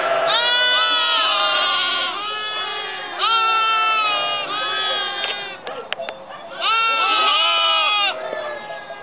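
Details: Lambs recorded in November 2009, a series of loud, wavering bleats of one to two seconds each, coming roughly every three seconds, overlapping with fainter bleats from other lambs and a few clicks.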